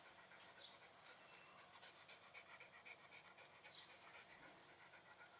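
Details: A Shiba Inu pants in quick, even breathy puffs, close to four per second, soft and steady throughout with a faint hiss behind.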